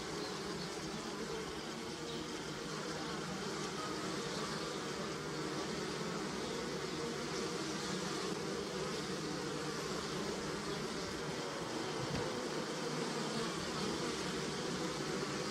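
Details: Bees buzzing on flowering pussy willow: a dense, continuous hum of many overlapping insects, with no clear single voice and no breaks, steady in loudness throughout.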